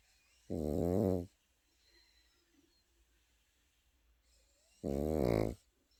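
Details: Pekingese puppy asleep, snoring in two loud, low, buzzy rattling breaths about four seconds apart, each under a second long, with quiet room hush in between.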